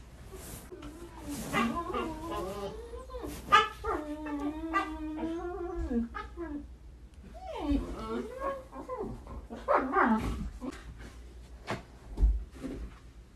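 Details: Hyperactive Husky dogs whine and yip in bending, up-and-down vocal phrases, broken by thumps and noisy bursts, with a pause in the middle before the wavering calls return.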